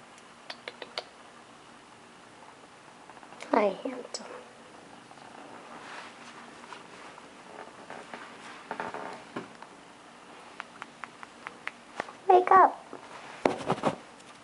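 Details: Male Sphynx kitten wearing a blue collar in Las Vegas, just woken from a nap: a low, steady purr hums beneath soft, cooing human speech, with brief rustles and handling noises in a small indoor room.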